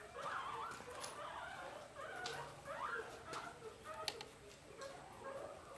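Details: Pet guinea pig making short tonal squeaks that rise and fall, a few calls spread over several seconds, with light tapping and rustling in the background.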